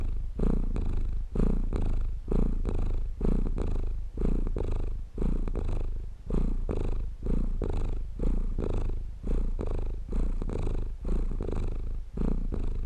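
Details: Cat purr meant for relaxing and sleeping, a deep vibrating rumble that swells and fades about once a second in regular breathing cycles, heard alone with a quiet background.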